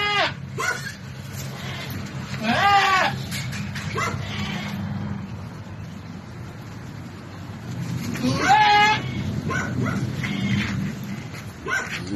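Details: Goat struggling through a difficult birth before the kid is delivered; two wavering, harmonic bleats, one near three seconds and another near eight and a half, over low steady hum and human voices.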